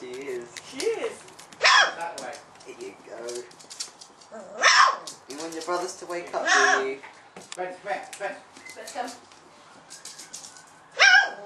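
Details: A 4-week-old female Golden Retriever puppy, the vocal one among her brothers, gives high, squeaky yips and little barks, with a woman talking softly between them.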